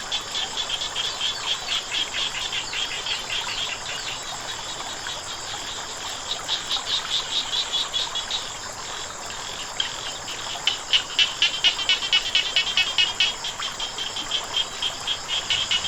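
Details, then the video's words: Frogs calling beside flowing water: rapid, high rattling pulses repeated about twice a second in bursts, fading out mid-way and returning stronger, over a steady hiss of running water. "เสียงน้ำไหล กบเขียดร้อง ฟังแล้วสุขใจ"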